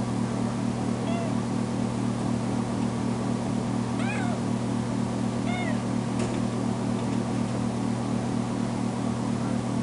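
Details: Tamera, a female foster kitten just home from the vet after being spayed, cries loudly when left alone in a bedroom: three drawn-out, rising-then-falling meows about two seconds apart over a steady low electrical hum.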